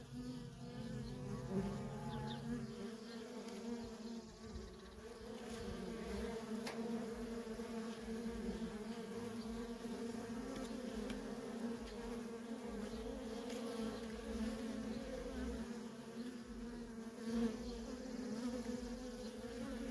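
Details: Nonstop traffic of worker honey bees at a feral colony, heard as an unbroken, buzzy hum from numerous bees, briefly louder at the start and staying level after that.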